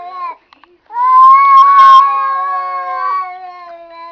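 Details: After a few soft clicks, a cat lets out a loud, prolonged, steady-pitched caterwaul that slowly fades and drops slightly, like one of the cats talking to each other.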